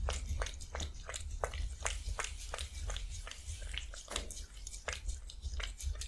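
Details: A cat eating fish soup indoors: rapid wet chewing and biting clicks repeated about every half second, with a steady low background hum.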